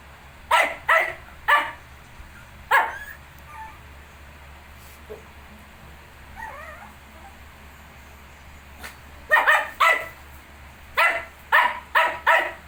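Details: Shih tzu beside 19-day-old puppies: clustered sharp barks, a quiet middle with faint whining squeaks, then another lively run of barks near the end over a low hum.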